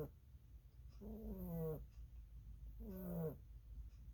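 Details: Snores from Lily the rabbit as she sleeps: two drawn-out, rasping nasal breaths with layered overtones, each about half a second long and nearly two seconds apart, in a quiet room.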